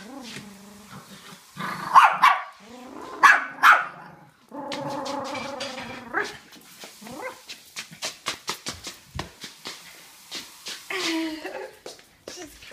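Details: A small female dachshund gives sharp barks and whining growls, then a run of short, rapid yips, while instigating a chase in a circle.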